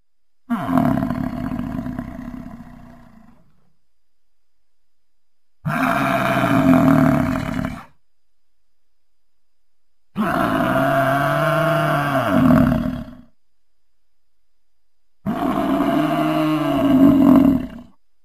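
An American bison gives four deep, drawn-out roaring bellows, each lasting two to three seconds.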